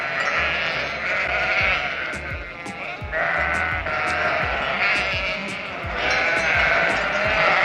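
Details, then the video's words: A sheep gives three long, quavering bleats of about two seconds each over steady background music. "sounds from farm Horse, cow, rooster, sheep"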